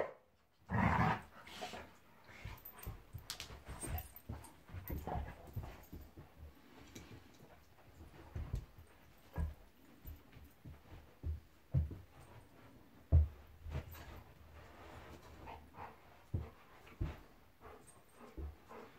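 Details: Golden Retriever Monty wrestling in play with Eric, a Labrador, at home: a steady run of low growls, snorts and scuffling grunts, with sharper loud bursts near the start and middle.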